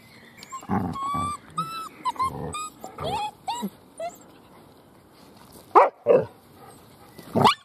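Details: Litter of Weimaraner puppies recovering from juvenile cellulitis, playing and feeding: high squeaky whines and yelps with rising and falling tones, then several short sharp yaps near the end.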